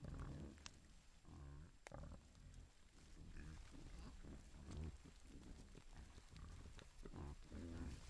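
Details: A camera trap in Italy's Foreste Casentinesi National Park records a herd of wild boar (Sus scrofa) with piglets searching for food, grunting low and rough in short snorting bursts close by.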